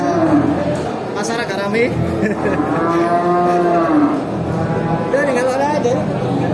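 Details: Several cows at a traditional animal market give long, low moos that swell and waver, bending up and down in pitch in a drawn-out arc, over a steady murmur of crowd noise.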